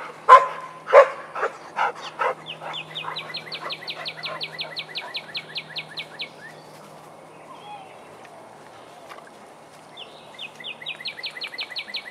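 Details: Vizsla at playtime in the den: a burst of about half a dozen sharp, uneven barks in the first seconds, then quiet, with a high, fast, repeated bird trill running through the background.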